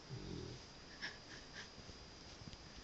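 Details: A male Cavalier King Charles Spaniel snores in a low rumble while actually awake, followed by soft snuffling breaths; he often snores loudly enough to wake himself, and his owner suspects sleep apnea.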